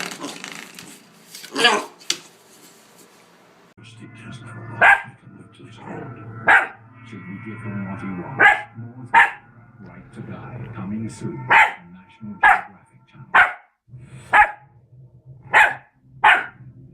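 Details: Labrador Retriever puppies, friendly and playful, giving short sharp barks repeated about once a second over the second half, after a noisier stretch with voices and rustling in the background.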